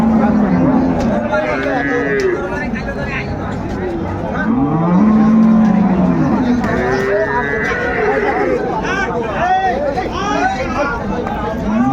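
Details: At Ambari Haat cattle market in Dinajpur, Bangladesh, on 21 March 2025, cows and calves low: a short moo opens, then a loud arching bellow swells around five seconds, amid buyers' speech and passing vehicle noise.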